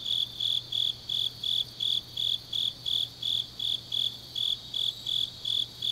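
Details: Grass insects singing on an autumn night in Changnyeong, South Korea: bright high-pitched chirps repeat steadily, close to three per second, each with the same even, pulsed shape, over a continuous thin trill.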